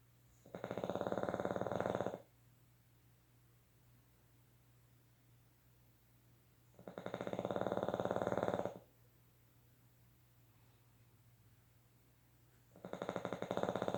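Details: Boston Terriers asleep and dreaming indoors; long rasping snores, each lasting under two seconds, come roughly every six seconds with quiet pauses between, over a faint steady hum.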